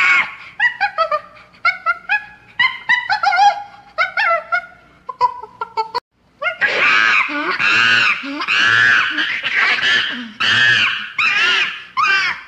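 A chimpanzee gives a run of short tonal hoots, then bursts into loud, harsh, repeated screams.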